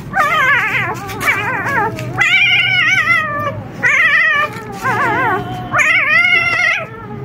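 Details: Whining in a puppy room where experienced mother dog Rosalie waits for her four excited 4-day-old pups to calm. Long, wobbling, tremulous whines with layered harmonics follow one another, each lasting about a second, with short gaps between.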